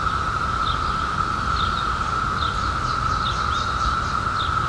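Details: Periodical cicadas emerged in 2021 after 17 years keep up a steady, even droning chorus, while a bird repeats short high down-slurred chirps about every second, clustering near the end.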